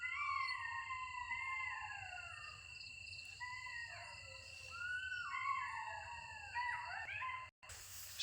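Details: Golden jackals call at night near a village, in a howling chorus of overlapping, wavering wails that slide up and down in pitch.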